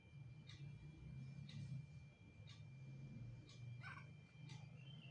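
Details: Mother cat, tired of caring for her kitten, purring: a steady low rumbling drone in uneven pulses throughout, with faint brief clicks and rustles above it.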